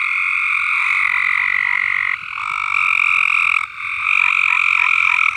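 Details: Chorus of singing frogs on a farm: a constant, dense high-pitched trill that drops briefly twice and swells back, with overlapping callers throughout.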